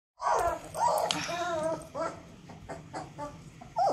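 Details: Long-coat black-faced German Shepherd puppy giving tonal whines and whimpers, wavering and falling, in short bursts with gaps, inside a small room; faint voices beneath.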